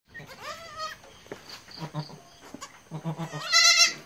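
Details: Domestic goats with a mother that has just given birth to three kids: a clear wavering bleat, then short low murmuring grunts, and a louder rising bleat near the end.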